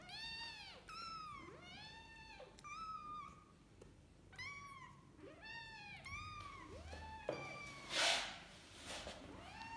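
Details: Kittens with their mother cat indoors: a rapid series of high, arching mews, about eight in ten seconds, each rising then falling, overlapping one another, with a sharp rustling burst near the end.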